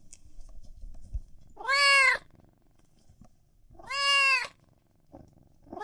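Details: Domestic cats and kittens meowing loudly: two bright, harmonically rich meows about two seconds apart, each rising then falling slightly, with quiet rustling between.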